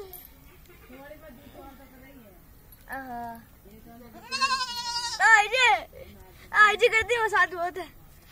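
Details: Goat kids at play with a child: after a quiet stretch, two bursts of loud, strongly quavering bleats follow one another, with a person's voice heard briefly at the start.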